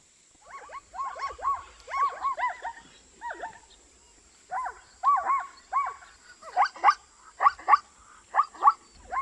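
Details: African zebra neighing in bursts of quick yelping barks, several notes per burst, with a short pause near the middle before louder, sharper barks resume toward the end.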